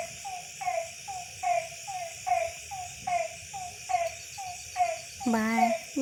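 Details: After-rain night frogs in a December village, short nasal croaks about once per second, with one longer rising, buzzy call near the end and a steady high insect hiss.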